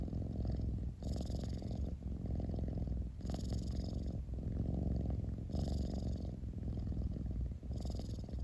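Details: Close, loud purring of a house cat, a dense low vibrating drone that swells and dips with slow breaths roughly every two to three seconds, faint hissy inhalations marking each cycle.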